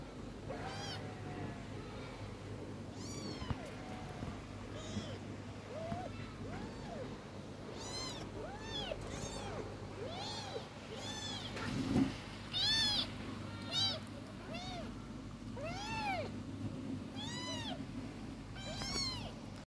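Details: Cat meowing over and over, roughly once a second at an uneven pace. The meows are arched and bright, some short, some drawn out, with a few louder ones midway, all against a constant low background hum.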